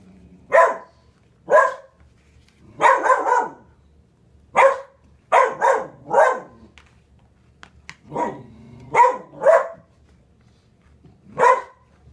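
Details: A dog indoors barks at a dog on the hearth. There are around fourteen sharp, loud barks, some single and some in quick pairs or triplets, with short quiet pauses between bursts in a small room.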